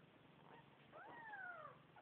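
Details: Newborn kitten mewing: faint short cries, then one longer, clear meow that sweeps up and slowly slides down, against soft background hiss.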